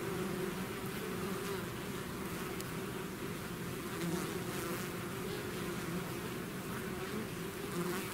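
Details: Dense, unbroken drone of a bee swarm that has left its hive, a low humming buzz holding level throughout with faint shifts in pitch as individual bees pass.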